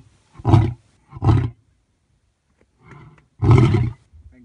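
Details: A male lion (Panthera leo) gives deep, booming roaring grunts in short, powerful bursts at Thornybush Private Game Reserve, South Africa.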